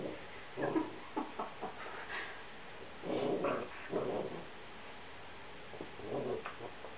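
A Golden Retriever makes short, grumbling whines and yips in uneven bursts.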